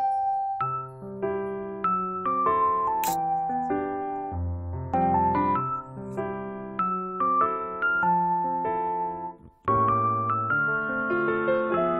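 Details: Bright electric piano melody with steady keyboard chords throughout, a short chime near the third second, no animal sounds.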